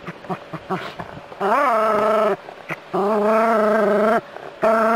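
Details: Jack Russell Terrier at play with hose water, letting out sustained, tonal, whine-like barks nearly a second long, preceded by short huffs and snuffles, with a steady faint hum in the background.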